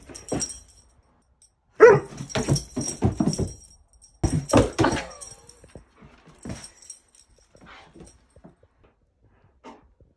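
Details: Male greyhound at home, excitedly demanding a walk: two clusters of sharp yips and barks, then softer, scattered whines trailing off into quiet.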